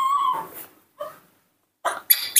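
A newborn monkey gives thin, tonal whimpering squeaks as it begs for milk.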